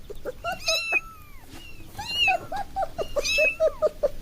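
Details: Kitten at play indoors at home, mewing in quick, varied bursts: short chirpy mews mixed with longer wavering, falling cries, densely packed over a few seconds, with faint rustling between calls.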